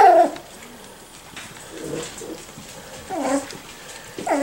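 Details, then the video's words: Miniature Schnauzer puppies aged five to six weeks at play indoors; high, bending whimpers and squeals open and close the stretch, with softer whines in between and a quiet room. "Miniature Schnauzer Puppies - 5-6 weeks old"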